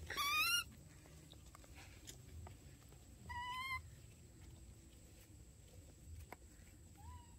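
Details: Dorn and Dum, baby monkeys, in daily life: a high squealing whistle, a second flat-topped whistled call a few seconds later, then a faint short whistle near the end. Low indoor hum fills the gaps.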